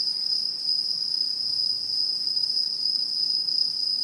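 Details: Autumn insects calling at a satoyama countryside in Japan, 2016: a steady, continuous high shrill trill with no pauses, several bands layered into an unbroken chorus, over faint low background hiss.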